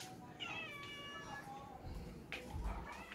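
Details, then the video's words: Domestic cat, angry at being given a shower indoors after a typhoon: a few drawn-out, slightly falling harmonic meows over soft background music and a person's voice. "cat sound angry video about a shower"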